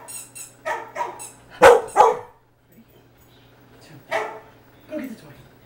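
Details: Trax, a Jack Russell Terrier, reacts while watching himself on a screen, puzzled by what is going on: several short harmonic barks and yips, two loud ones close together, with a steady low hum underneath.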